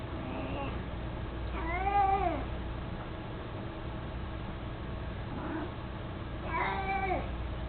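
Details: Mico, an 18-year-old mostly blind, chubby domestic cat who carries a toy mouse, gives three drawn-out harmonic meows, rising then falling, spaced a few seconds apart over a steady low hum.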